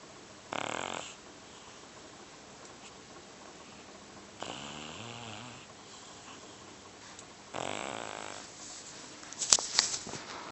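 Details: Heavy domestic cat, about 30 pounds, snoring loudly while asleep indoors: three short hoarse rasping breaths spaced several seconds apart, the middle one softer, then a brief clatter at the end.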